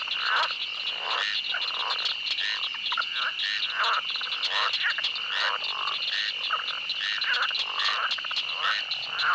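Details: In a swamp, a dense frog chorus of repeated rasping croaks, a few each second, layered over an unbroken shrill insect buzz and occasional clicks.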